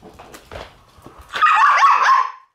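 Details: A black Shiba Inu puppy born on 11 March gives a drawn-out, wavering, high-pitched whine of about a second, preceded by faint soft knocks and shuffling sounds.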